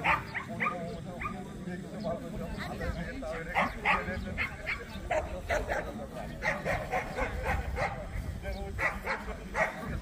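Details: Jindo dogs at the 67th Korea Jindo Dog Association contest for the best Jindo in Korea; sharp, short barks come in quick bursts, sometimes several per second, through the whole stretch over steady crowd chatter and talking.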